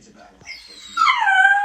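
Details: Pet dog whose owner says it makes the weirdest noises: a rising, whistly whine that swells after about one second into a loud, sustained tone that slides downward, following quiet speech.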